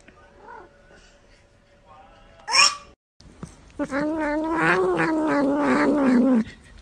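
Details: Pet cat at bath time giving a long, loud, wavering yowl of about three seconds after a brief sharp squeak, rich in harmonics, with a quiet voice before it.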